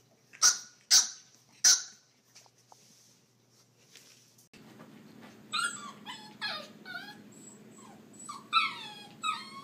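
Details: Puppies giving three piercing high yelps in quick succession, then, over a steady low hum, a run of thin, downward-sliding whiny yips repeated irregularly.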